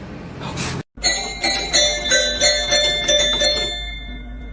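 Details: Jingling bells and bright music follow a brief silence, with no animal calls.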